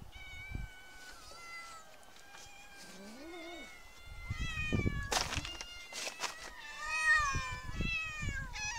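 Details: Street cats meowing outdoors: several drawn-out, wavering meows overlap through the recording, some high and thin, one lower and rising, with occasional thumps and scraping noises in between.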